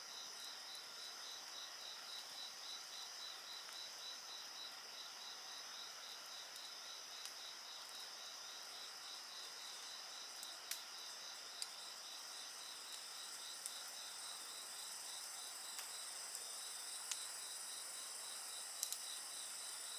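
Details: Crickets and other insects keep up a dense, shimmering drone of high trills, with one evenly pulsed band beating quickly. Occasional crackles of burning firewood break through, more often toward the end.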